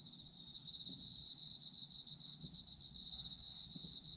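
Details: Chorus of autumn insects for restful listening, a continuous shrill ringing in two high layers with rapid rhythmic pulsing, swelling slightly after the first half second, over a soft low background hum.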